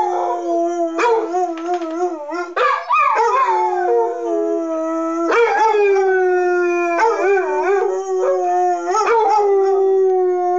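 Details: Two Basset Hounds, a 6-year-old tri-colour and an 8-year-old tan-and-white, howl along with the monthly test of rotating city public address sirens: long, wavering, mournful notes over a steady siren-like tone.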